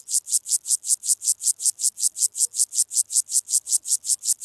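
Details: Song of a club-legged grasshopper, Leogang, Austria, 5 September 2023: a regular series of sharp, hissing rasp pulses at about two and a half per second, every one rising in loudness before stopping abruptly.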